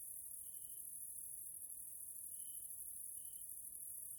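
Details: Grasshoppers in a nature area in Hungary, Central Europe, in the evening: a steady, high, hissing insect chorus runs throughout, with a few separate short, thin tonal notes at lower pitch.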